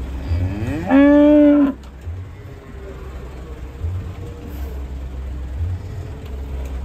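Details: A short, loud bovine moo, steady and strongly harmonic, lasting under a second, among cattle unloaded from two trucks; low engine throbbing and quiet background noise continue after it.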